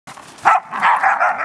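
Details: Dog yelping during rough play with other dogs as an older dog named Cash puts the younger ones in their place; a sharp cry followed by sustained harsh, mid-pitched whining yelps.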